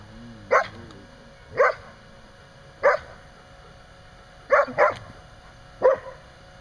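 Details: Standard Poodle outside a pen barking during rough play-fighting with another dog; six short, sharp barks roughly once a second, one quick double, over a steady low background hum.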